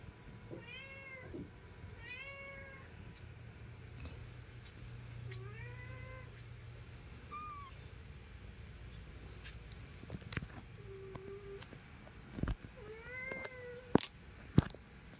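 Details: Domestic cat, a mother with her kitten: a series of drawn-out, slightly wavering meows, some rising then falling, with pauses between, followed by a few shorter, higher mews and scattered soft clicks and knocks in a quiet room.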